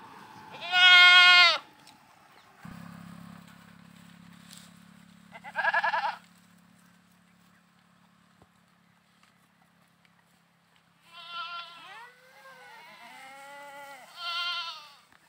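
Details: Goats bleating while playing: short loud quavering bleats spread over the clip, with a low steady hum in the middle and softer wavering calls near the end.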